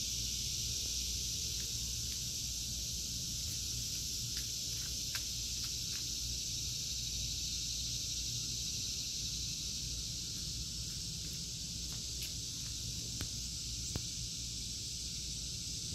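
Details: Continuous high, hissing cicada drone in a summer vegetable garden, August 2023, holding steady throughout, with faint scattered ticks and clicks and a low rumble underneath.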